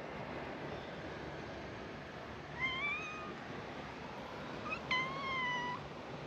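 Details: Cats welcoming tourists at an island scenic spot; two harmonic meows, the first wavering and rising, the second louder and gently falling, over a steady low hum.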